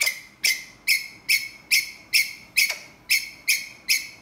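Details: Calling for a mate, a ground squirrel repeats crisp, shrill chirps at an even pace, roughly two and a half per second, ten notes in all, each starting sharply and fading fast against a quiet background.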